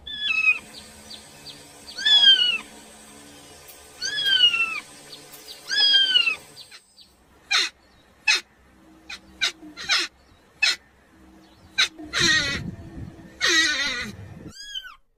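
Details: Kitten calling for its mother: four loud, arching meows, each rising then falling, spaced about two seconds apart. They give way to scattered short knocks and bursts of rustling noise, then a final faint meow.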